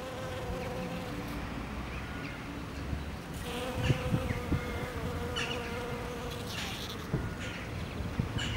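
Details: Honey bees on the first day of spring, a steady droning buzz with a sustained tone and overtones, rising and fading as insects pass, over low rumbling background and a few faint clicks.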